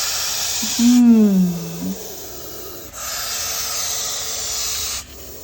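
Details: A Russell's viper, met at dawn in Maharashtra during a rescue, gives long, harsh, breathy hisses warning a man who comes too close; these snakes come out more in winter.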